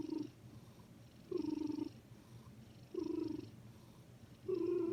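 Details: Sleeping cat making a soft sound while it breathes, perhaps snoring: a hummed, purring tone on each breath, four times at about 1.5-second intervals, with quiet pauses between them.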